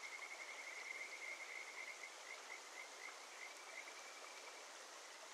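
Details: A Kajika frog (Buergeria buergeri) calls from under rocks in a mountain stream in the Shin'etsu region in early July, giving a steady series of clear, high whistled notes over the rushing water.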